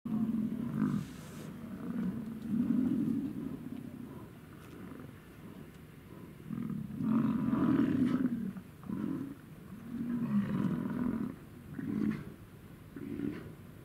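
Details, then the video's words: An American bison from a herd in Wind Cave National Park in the Great Plains gives deep, rumbling grunts in short bursts, recorded close up. "American Bison - Grunting - CLOSE-UP"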